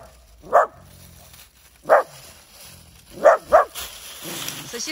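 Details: Efa, a stern four-year-old dog filmed with a dachshund and an alabai, gives a clear warning when displeased. Short, loud woofs come about every one to one and a half seconds, a double burst near the end, with low rumbling between them and a person speaking.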